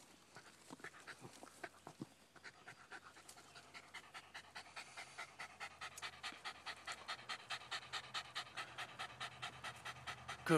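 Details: Jack Russell/fox terrier named Milo panting hard just after fighting a groundhog. Rapid, rhythmic breaths at about 140 per minute build steadily louder, with scattered rustling beforehand and a man's voice nearby praising the dog.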